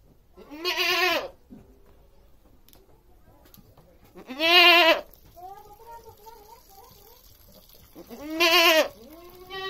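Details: Goat (Capra hircus), bleat.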